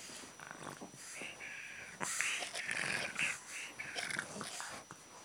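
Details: Pet pug named Sydney, refusing to play tennis ball, gives rough, wheezy growls and snorty grumbles in short uneven bursts, quieter at first, then louder and denser from the second second onward.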